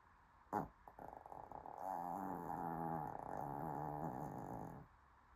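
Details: Puppy snoring, a rough, buzzy, steadily pulsing drone held for about three seconds, preceded by a few short soft snorts, in a quiet indoor setting.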